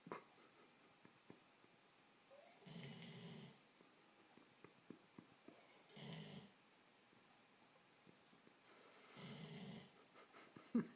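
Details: A Labrador sleeps indoors after an exhausting day of lying around. Three soft, breathy snores come about every three seconds in a quiet room, with faint clicks between them.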